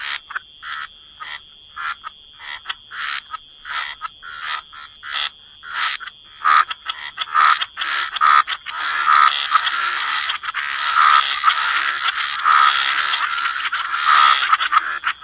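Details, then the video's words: Wetland frog chorus with short croaks spaced about a second apart at first, building into a continuous, overlapping buzzy croaking that fills the second half, a thin high tonal band persisting throughout. "Frog Lullaby: Relax to the Sound of Croaking Frogs"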